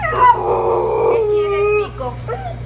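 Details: A young Alaskan Klee Kai in New York City, jealous of his beagle friend's stroller, gives a long, wavering, tuneful howl sliding downward, then a few short yips, with faint Spanish-speaking human voices nearby.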